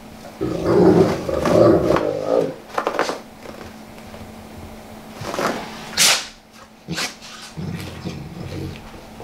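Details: Big Golden Saint dog rolling over a living-room carpet, growling contentedly while scratching itches: a low throaty growl lasting about two seconds, followed by rustling, scuffing and a brief softer growl near the end.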